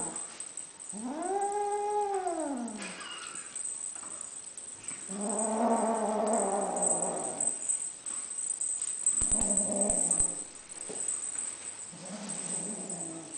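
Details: Grace, a lilac Ocicat kitten, being possessive with a toy: an arching, wailing moan rises and falls, then a harmonic, rasping growl lasting about two seconds, followed by shorter low growls and rustling.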